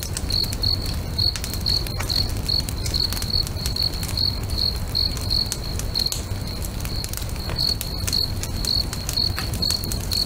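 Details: Crickets singing next to a lake at sunset: a rhythmic series of bright, high chirps, evenly spaced, competing with a crackling campfire's clicks and snaps and a low rumble.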